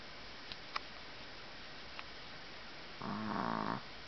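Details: Puppy Daisy sleeps after playing all afternoon with her sister Mylie, Minnesota, July 2010; after three seconds of near silence broken by faint clicks comes one coarse, buzzing snore lasting under a second.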